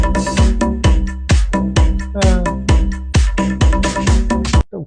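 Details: Loud electronic dance music with a pounding regular beat and bass, ending abruptly with a brief falling sweep; no animal voice.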